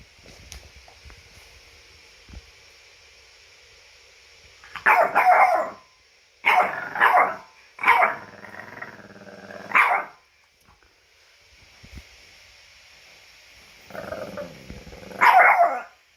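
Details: French bulldog wearing a costume gives a series of whiny, grumbling vocalizations, about five nasal bursts with a low buzzy groan between them, separated by quiet stretches with faint background hiss.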